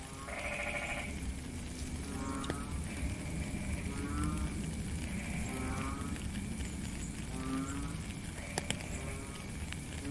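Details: Frogs calling during rain in a natural setting: a series of short, low, bleating, harmonic croaks, several overlapping across ten seconds, against constant rain hiss and a few sharp drip clicks.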